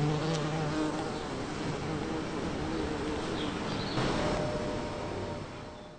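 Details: Bumblebee at blooming Champlain rose in a Toronto back yard, June 5; fainter low buzzing that wavers in pitch, fading in and out as the bee moves among flowers, with a brief louder pass near four seconds.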